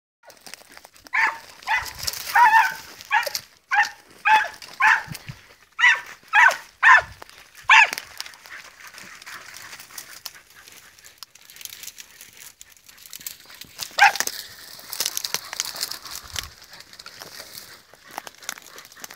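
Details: Podencos, hunting dogs working rough ground while searching the field, give a quick run of sharp, clipped barks, about eight in close succession, then a lone bark after a pause. Faint rustling and outdoor background noise fill the gaps.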